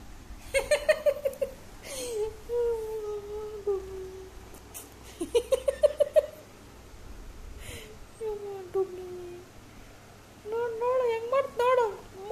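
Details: Zoey, a Labrador Retriever, gives a series of long, sliding whines that fall in pitch, with clusters of quick wavering cries at the start and end. People speak Kannada around her, teasing her as a drama queen.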